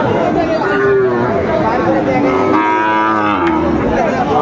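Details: A market in Comilla, Bangladesh, where a farmer buys Sahiwal breed bull calves on 19 September 2024. Long, low, sliding moos overlap through the clip, with people talking loudly throughout.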